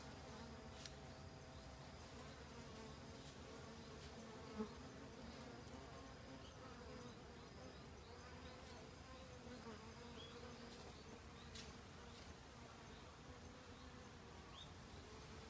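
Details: In autumn, honey bees forage restlessly for winter food; a sustained humming drone with clear stacked tones, steady for the whole stretch, broken by a few faint clicks and one brief knock.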